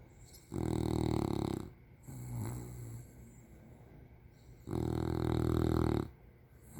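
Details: An English bulldog fast asleep and very comfortable snores. Two loud, rattling inhaled snores last about a second each. Softer, airy exhales fall between them.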